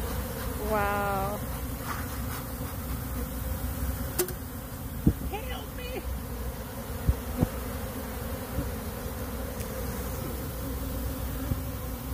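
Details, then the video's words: Honey bees pouring out of a box where they had been trapped and overheated, honeycomb melted inside; a steady low buzzing drone runs throughout, with a short voice near the start and scattered sharp knocks and clicks. "bees exploded out of this box they were trapped in"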